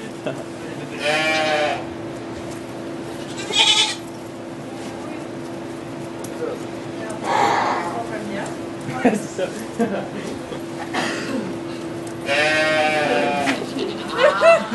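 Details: Birth of two goat kids at a sugar shack in Quebec, Canada: four separate tremulous bleats, each about a second long, spaced between stretches of quiet French talk from onlookers.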